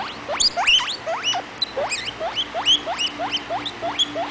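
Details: Young pet guinea pig Vitalis wheeking loudly: a run of sharp upward-sweeping squeals, about two per second, each climbing steeply, with a faint background hum.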